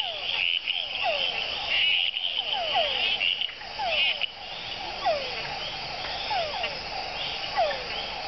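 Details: Small frog on a leaf in Panama; brief descending chirps come roughly every second, some in quick pairs, set against a continuous shrill night chorus of many other callers.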